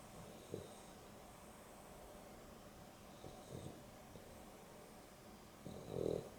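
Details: Sleeping Boston Terrier and Beagle cross Dexter and Rio at an afternoon nap, with three faint raspy snores spaced about three seconds apart, the last slightly louder, amid quiet indoor hum.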